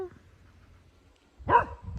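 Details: Single short, sharp bark from a dog upset by a tractor, following a quiet stretch of low background rumble.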